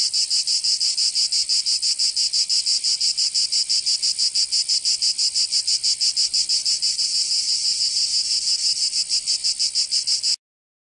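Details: Cicadas of Provence, southern France, singing in summer: a harsh high-pitched pulsing drone at about three beats per second that cuts off abruptly into silence at the very end.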